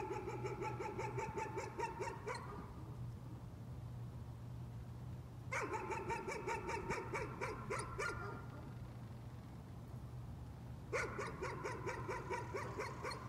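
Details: Dog barking as a nuisance, in three bursts of rapid, regular barks separated by quiet stretches, with a steady low hum and faint passing vehicle noise.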